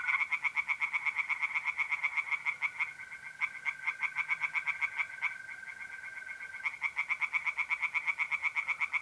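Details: Tree frogs singing by night in a pond in north-east Italy in mid-April: rapid, regular series of harsh pulsed notes, about four per second, overlapping callers, with a steady continuous high trill of mole crickets running underneath.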